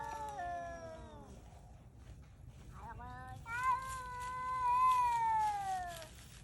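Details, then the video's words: Hungry stray cats hunting in the cold give wailing yowls: a falling moan first, a short pause, then a long sustained cry that swells and bends gently downward before fading, over steady low background noise. "공포영화 괴성 효과음아님,추위와 굶주림에 지친들고양이들이 먹잇감사냥에 나서보지만.."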